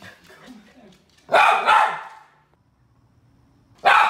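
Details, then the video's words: Poodle barking: a loud double bark, then a pause and one more bark near the end. Faint murmuring and low background noise come before the first bark. "OUÇA O SOM DO CACHORRO POODLE LATINDO"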